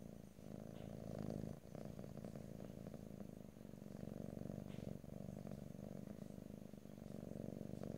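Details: Close stereo recording of a pet cat purring, no talking: a continuous low, throbbing rumble with fast regular pulses, its breaths shifting briefly around every second or two.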